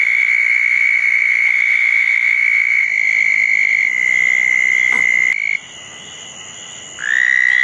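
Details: Southern toads calling at two small ponds dug as toad habitat, wet night after a June 2014 thunderstorm; a level buzzing trill runs over five seconds, stops, and after a quiet gap a new trill starts near seven seconds.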